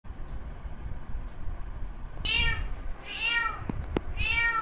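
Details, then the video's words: Male domestic cat calling to a female in heat: after two quiet seconds, three drawn-out arched meows with rich harmonics, each rising then falling, over a low background rumble. "Male Cat Calling Female In Heat Sounds."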